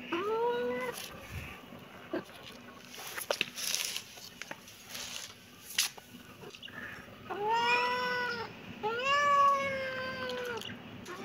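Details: A kitten gives a short meow, then after a stretch of clicks and shuffling noises two longer, louder arched meows near the end, with a constant low hum underneath.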